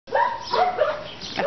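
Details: Ariel, a pet dog, meeting other dogs: a short run of high, tonal whining yelps that slide up and down, with brief pauses between them.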